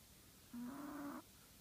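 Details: One drawn-out snore from a dozing Chihuahua called the shop manager: a reedy, nasal tone lasting about two-thirds of a second, stepping up slightly midway, with a bright buzzy overtone band, in a quiet room.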